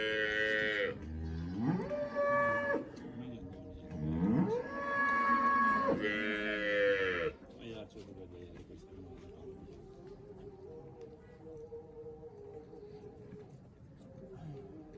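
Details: Cholistani Friesian cross cow in Pakistan lowing three times in quick succession, each moo a long harmonic call that rises and then holds steady, followed by quieter background noise and faint murmuring.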